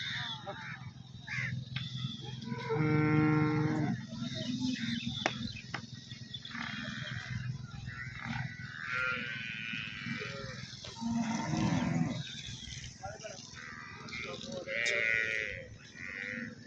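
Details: Nili-Ravi buffalo offered for sale at Arifwala on 16 November 2023 gives a drawn-out, harmonic lowing moo early on, then a shorter low call later, over steady background hum and faint voices.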